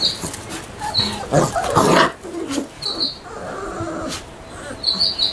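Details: One-week-old Labrador Retriever puppies whimpering: short, soft squeaks and whines come in uneven bursts, with a louder broadband rustle near the middle and a thin, high repeated tone in the background.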